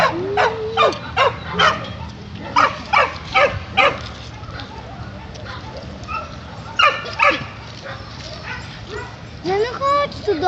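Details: Dogs at the Kundelek animal shelter in Poland: sharp, short barks come in quick irregular bursts, some followed by a rising whine, with a person calling the dogs and background music.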